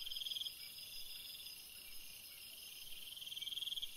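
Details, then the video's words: Cricket singing on a summer night: high, steady trilling chirps near the top of the range, a pulsed burst at the start and again at the end, with a continuous insect hiss between. "Chant d'un grillon dans une nuit d'été / Singing a cricket in a summer night"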